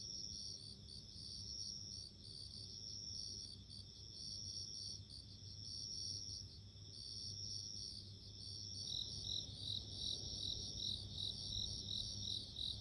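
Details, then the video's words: Ringing song of a bell cricket: a steady high tinkling trill, then after about nine seconds faster, denser bell-like pulses at a second pitch join in, over a soft low rumble. "Sounds of insects】自然の音【鈴虫】"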